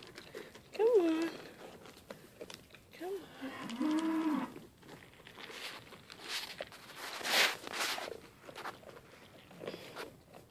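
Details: A pair of sale-barn Mini LaMancha goats named Maggie and Abbie, being tamed and eating from a hand. Two wavering bleats sound close together near the start, mixed with human speech, footsteps and handling noise.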